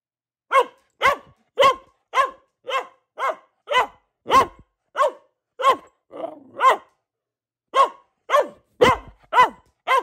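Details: A long run of loud, regular barks from Luna, a female Boxer, roughly two per second, broken by a brief pause and a softer muffled bark before the barking resumes.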